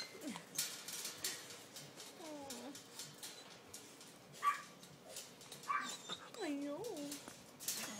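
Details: Poodle puppies indoors give short high whimpers and yelps, a few scattered cries with falling and rising tones, while a person talks nearby.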